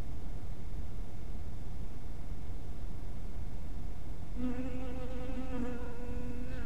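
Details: Honey bee at a bee house in twilight light: after four seconds of low rumbling background, a steady, humming buzz with strong overtones rises and continues to the end.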